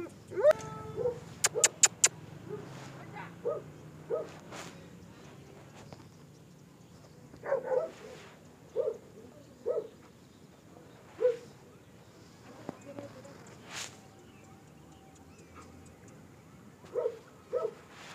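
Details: German Shepherd in Peshawar, among single-, double-, medium- and long-coated dogs; short harmonic barks and yips arrive in small clusters, several early on, again near seven to eight seconds and at the end, over a low hum and faint background noise.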